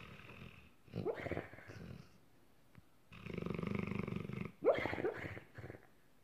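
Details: Dreaming dog asleep after a long hard day, letting out funny sleep noises: snuffling, growly murmurs and muffled whines in uneven bursts, one longer rumbling stretch, then a brief high squeak.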